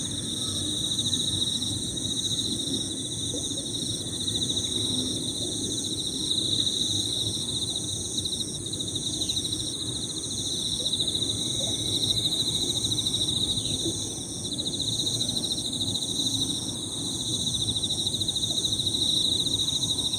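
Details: A chorus of high-pitched Emma field crickets trilling 'piririri' without pause. The overlapping pulsed layers stay steady throughout, with occasional brief downward-sliding notes from small birds and a constant low background rumble.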